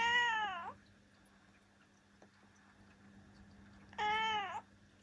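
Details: Two clear meows from Ciel, a seven-year-old female black cat, about four seconds apart. Each is a bright, harmonic-rich cry that slides downward and then lifts slightly at the end, over a faint steady hum.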